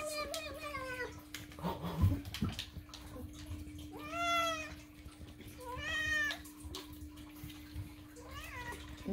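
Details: Indoor pet cat Moo demanding food with repeated meows: four separate plaintive, falling cries spread over several seconds, mixed with a person talking, light music and household rustling.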